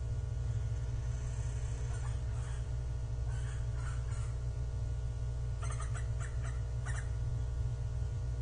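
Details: Japanese giant flying squirrel on 25 December 2023, an animal that climbs, descends and glides, giving short harsh broadband calls in scattered bursts, some clustered close together, over a steady loud low hum.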